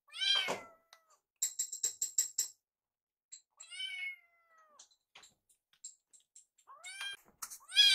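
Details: Foster kittens Yuki and Piyo, rescued cats, spending a final night with their foster mother before graduating: short high meows at start and end, a softer descending mew mid-clip, and a burst of rapid clicking or rattling sounds.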